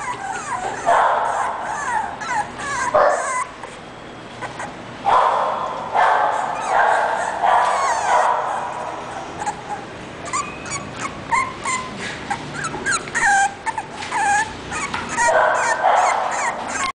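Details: English bulldog puppy whimpering and yipping in uneven bursts, mixing breathy yelps with high squeaky whines, a faint human voice and steady hiss underneath.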